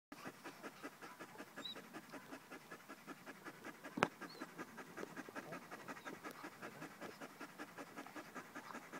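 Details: Five-month-old German Shepherd puppy named Attila ot Salmoxis panting rapidly and steadily, quick breathy pulses several per second throughout, with one sharp click midway.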